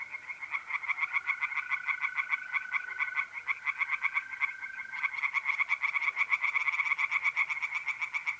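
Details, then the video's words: Tree frogs in a north-east Italian pond on an April night, croaking in dense, overlapping pulsed bursts without pause, several callers together; a mole cricket's even trill sounds under them for the first five seconds. "relaxing singing tree frogs in pond"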